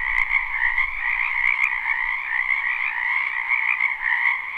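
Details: Spring wetland frogs in full chorus, recorded live: layered croaking trills hum steadily at two pitches, with brief faint low thumps and a couple of tiny high clicks near the start.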